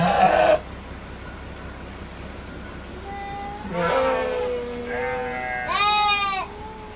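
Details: Penned Garut sheep bleat several times: a short burst at the start, then a long quavering bleat, a lower steady one and a final loud rising-falling bleat, all over a constant low hum.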